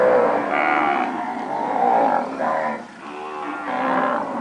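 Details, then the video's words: Recently calved pedigree Nelore cows lowing almost continuously, overlapping drawn-out moos that swell and fade, with a brief pause near the three-second mark before another moo begins. "Vacas nelore padrão (POs), paridas."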